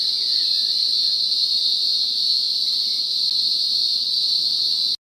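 A green grocer cicada gives a loud, steady, high-pitched drone that holds unbroken throughout.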